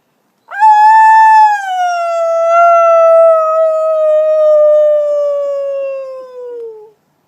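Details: Wolf howling at a sanctuary: a single clear, smooth howl that rises sharply, holds high, then slowly slides downward over about six seconds before fading, with no other sounds.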